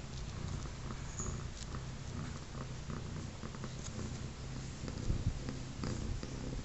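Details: Domestic cat, a three-legged mother with her newborn kittens about 24 hours after birth, purring indoors; a steady low rumbling purr runs throughout with faint soft clicks and rustles above it.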